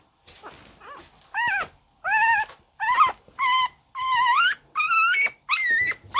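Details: Shiba Inu puppy indoors gives a string of drawn-out, high, wavering whines and yelps, each about half a second long, growing louder and more strained toward the end with short gaps between.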